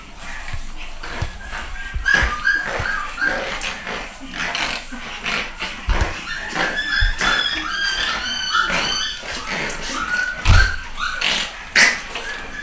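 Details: Litter of nine-week-old pedigree Pug puppies, home bred, letting out many short high whining squeaks in overlapping bursts through the clip, with thumps, scuffling and faint speech behind.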